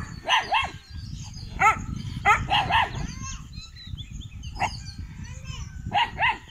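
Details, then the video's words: Kanni and Chippiparai puppies, 81 days old, guarding at a dog sanctuary in Thiruvarur on 2 August 2021: bursts of high, sharp barks in doubles and triples over a steady low rumbling background. "கன்னி,சிப்பிப்பாறை நாய்க்குட்டிகளின் 81 ஆம் நாள்.. காவல்திறன்.."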